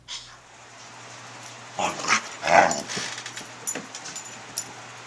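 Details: Pet dog Lea, a toy hog, recorded 26 July 2011 while playing with toys indoors: short whimpering and yelping bursts near the middle, then scattered soft clicks and thumps against a constant low electrical hum.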